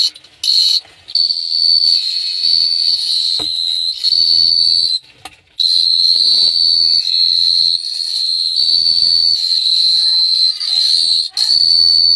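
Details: Cricket calling at night in Phteah Prey, heard close and loud: a nearly continuous, shrill, high-pitched buzzing trill, briefly broken by a few short pauses, with scratchy broadband rustling around it.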